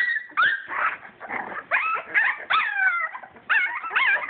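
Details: Playing English Springer Spaniel puppies, born 22 July 2012 to championship lines, give drawn-out, wobbling whines and squeals, several stretched and quavering, in separate bursts about every second, mother dog nearby before nursing.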